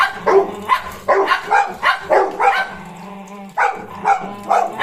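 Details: Golden Retriever puppy Cornell with German Shepherd Bozo: a string of short yappy barks, a second-long lull filled by a steady low hum, then several more barks.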